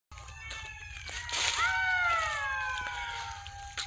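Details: At dusk deep inside a forest, a chorus of many golden jackals raises thin, high-pitched wailing howls, several voices overlapping and gliding downward in pitch; a brief rush of breathy noise passes early on.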